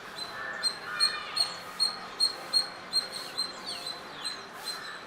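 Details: Chirping squirrel recorded on a Nikon D5300 with a 300mm lens, giving quick sharp chirps about two or three per second, some faint sweeping notes between them, over constant low hiss.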